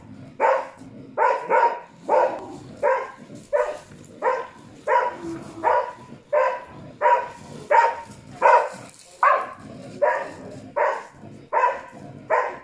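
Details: Karelian Bear Dog barking during a bear test at a mechanical bear, Tornio, Finland, 28 June 2019: loud, harsh barks repeated steadily, about one every 0.7 seconds, with faint background noise between them.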